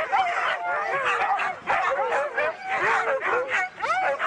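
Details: Excited Siberian huskies at a race in East Anglia burst into sharp yelps and upward-sweeping whines in quick clusters, with brief dips between bursts of overlapping voices.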